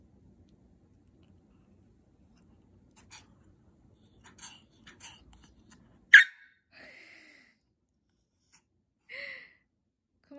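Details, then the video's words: Male white Pomeranian named Hong seol, born in 2016, 'talking' indoors because he wants sweet potato: soft breathy sounds, then a sharp burst and two high, drawn-out whines several seconds apart, with quiet room background. "고구마가 먹고 싶다고 논리정연하게 설명하는 강아지"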